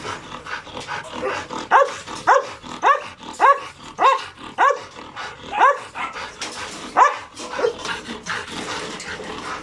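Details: Two hyper dogs, Logan and Kaido, reacting to insects, birds and voices; a regular series of eight sharp rising barks about every half second, then quieter noise.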